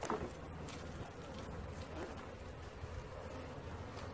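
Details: Steady rumbling buzz of a honey bee swarm as it is caught, low and constant, with a brief knock at the start and faint background noise.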